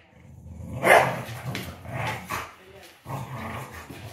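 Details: English Bulldog and Beagle in a tug of war game: a loud sharp bark-like outburst followed by deep rumbling growls that pause briefly, then resume.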